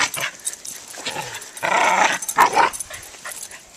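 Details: Pomeranian puppy and Corgi at a game of tug, the corgi pulling the rope and the puppy giving chase; two rough, noisy growl-like bursts with thin squeaky overtones in quick succession.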